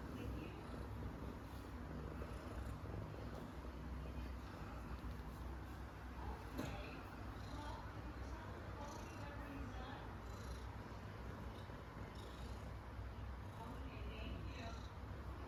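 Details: Eleven-month-old Domestic Short Hair kitten Coco, a calm attention-loving female up for adoption in Kuala Lumpur, giving a continuous low purr with brief soft voices and small knocks in the background.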